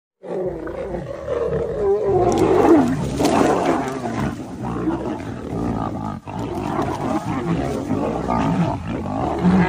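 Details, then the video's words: Lions fighting to protect their cubs: dense, loud rough roaring and growling that goes on through the whole stretch, swelling around the third second and staying harsh and overlapping to the end. "The Lion's fight to protect their Cub's"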